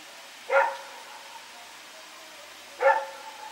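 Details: Two single barks about two seconds apart from Rex, a dog running around in the night on September 21, 2018, each bark short and bright with a faint trailing tone, steady hiss between.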